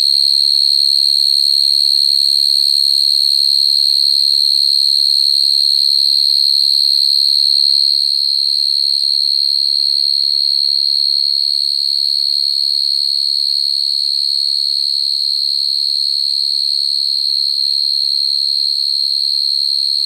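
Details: Natural calling of a field cricket to females, used to lure crickets into traps: a continuous shrill trill, even in pitch and loudness throughout, with a faint low murmur early on.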